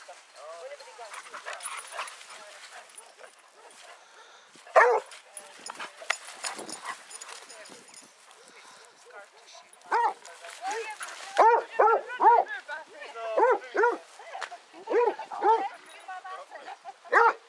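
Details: Several of 18 Basset Hounds on a pack walk at Belwade Farm, Dess, Aboyne, Scotland, 10 August 2014. Talking and rustling come first, then an isolated bark, then a long run of deep, resonant barks and bays from several dogs.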